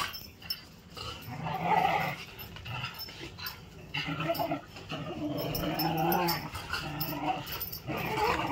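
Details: Male whippet growling steadily through an impromptu game: a continuous, rough, rumbling growl that swells and fades over several seconds, mixed with scuffling and movement noise.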